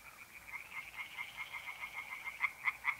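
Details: Tree frogs singing in a pond on an April night in north-eastern Italy, a faint, fast run of rattling pulses repeated about five times a second and growing louder toward the end.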